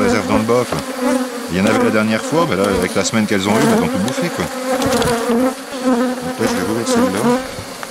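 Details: Buzzing of many honey bees during a rescue of a drone-laying colony, 3 May 2021, as a brood frame with its nurse bees from an aggressive neighbouring hive goes in. A steady, loud, low hum rises and dips, with clicking from frame handling.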